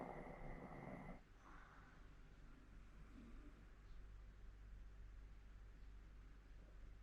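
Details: Sleeping 14-year-old Hokkaido dog in Sapporo gives a short harsh snore that stops after a second. Quieter breathing follows over a steady low indoor hum.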